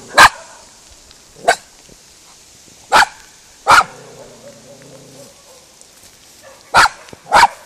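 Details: Sharp barks from Spizy, a female miniature schnauzer, as she tries and fails to scare off cows on first meeting them. Six barks come in uneven spacing, and a cow's low moo follows the fourth bark.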